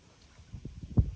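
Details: A hoplo catfish, an invasive species netted in the Florida Everglades, squeaks while handled, giving a few short, low grunting squeaks that end in one louder burst.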